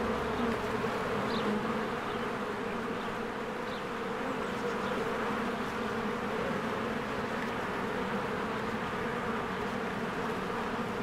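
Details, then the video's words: Busy spring beehive with honeybees flying in and out, a continuous layered buzzing hum, and a few soft high bird notes early on. "1 Hour of a Beehive ASMR"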